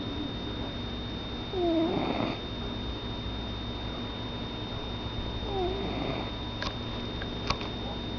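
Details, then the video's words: Indoor house cat snoring in its sleep, two soft breathy snores with light whistling overtones roughly four seconds apart, followed by a couple of sharp clicks and a constant background hum. "My Cat SNORING"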